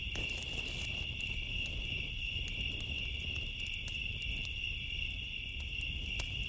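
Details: Crickets on a summer night keep up a steady, high, pulsing trill, while a bonfire crackles with sharp pops and a low rumble underneath.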